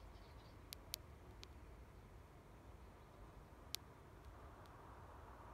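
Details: Chinese tiger longhorn beetle (Xylotrechus chinensis) larva gnawing wood while feeding, recorded in the Hérault, France, in 2022: sharp, dry clicks scattered irregularly over a low hiss.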